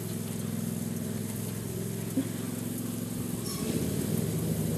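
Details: A steady, low engine drone with layered harmonic hum dominates outdoors, shifting slightly near the end, with no animal voices present.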